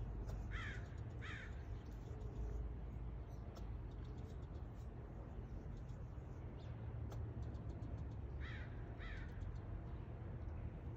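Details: A tail-wagging squirrel gives harsh, scratchy barking calls in two quick pairs, one early and one near the end, over a constant low rumble like wind or distant traffic.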